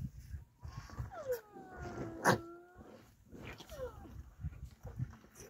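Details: A young rhino calf moaning one morning near a keeper's milk bucket: drawn-out, tonal, downward-sliding whines about two seconds long, then a second shorter falling moan, with a sharp knock and low handling rumble underneath.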